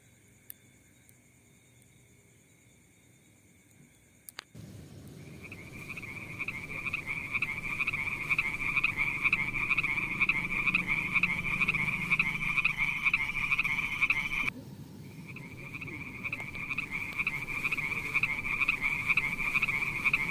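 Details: Frogs near mossy wet rocks with snails: after four quiet seconds, a steady pulsed, rattling trill at a mid-high pitch starts, with a lower harmonic band. It drops briefly near fifteen seconds, then resumes over a constant rushing background noise.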